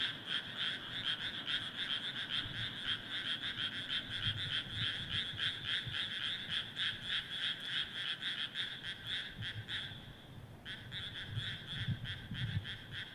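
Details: Many frogs calling together from a rice paddy, a fast rhythmic chorus of pulsed croaks repeating roughly three times a second. The chorus briefly drops out near the end before resuming, with low rumbling background noise.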